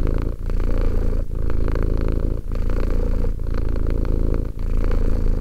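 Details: Two-year-old domestic cat named Romek purring steadily indoors: a deep, continuous low rumble broken by short pauses roughly every second as the cat breathes in and out.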